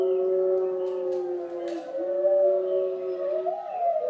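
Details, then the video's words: A female Pembroke Welsh Corgi puppy howls in long, wavering tones along with recorded wolf howls played on a computer. "Corgi puppy howls along with wolves"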